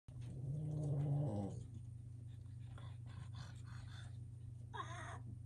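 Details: Boston terrier puppies playing with a wobble disk indoors: one low, rumbling growl lasts about a second near the start, then only soft scuffling and quiet background hum. A brief higher squeak follows near the end.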